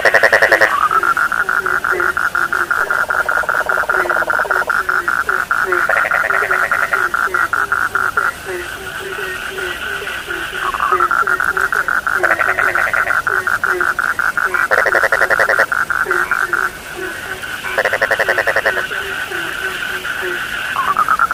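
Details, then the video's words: Dense frog chorus with a steady high trilling drone. Bursts of louder rattling pulses come and go over short, downward-sliding low croaks that repeat throughout. "The sound of frogs lulls sleep"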